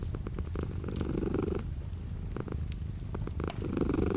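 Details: Domestic cat purring as light rain falls outside, a throbbing low rumble with a breathy surge at the start and another at the end, interrupted by a brief quieter pause, soft rain noise throughout.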